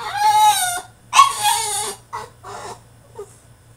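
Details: French Bulldog throwing a tantrum in his cage: long, wavering, cry-like whines, two loud drawn-out ones followed by shorter, softer whimpers fading away.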